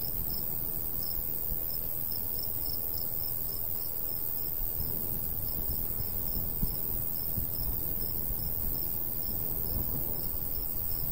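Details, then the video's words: Rhythmic high chirping from crickets in a summertime wheat field, pulses coming several times a second throughout, backed by a soft steady rush of light wind. "Countryside/cricket sounds"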